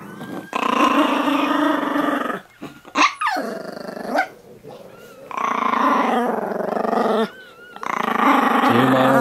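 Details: Chihuahuas around a mother's litter of five four-day-old puppies, four males and one female: long, loud, harmonic snarling growls in sustained bursts of one to two seconds, broken by short gaps, with a sharp rising and falling squeal near the middle.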